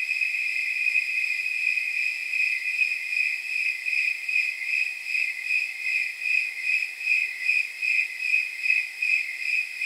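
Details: Snowy tree crickets at night, around 79 degrees by the chirp-count temperature rule: a steady, bell-like high chirp repeated roughly twice a second, with a second overlapping rhythm blurring into a pulsing chorus. No other sounds.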